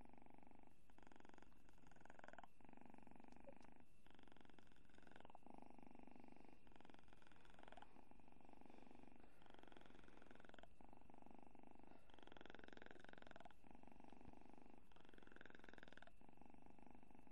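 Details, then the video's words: Kitten asleep and snoring softly: low rasping breaths in regular cycles roughly every one to two seconds, each a broad band rising and falling, steady throughout with no other sounds. "Γατάκι που ροχαλίζει"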